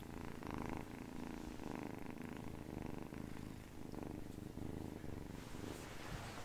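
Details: Domestic cat purring as accompaniment to ASMR hand movements; a low, steady rumbling purr pulsing in rhythmic phases roughly every second, with faint soft rustling of hands underneath.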